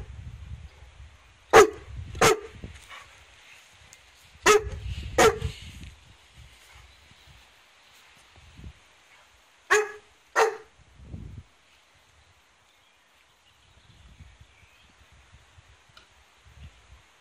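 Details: Barks in quick pairs ring out during a first meeting between Rasta, a large female Newfoundland inviting play, and four-month-old puppy Jessie at home; three pairs of loud barks are separated by quieter pauses with soft thuds and movement.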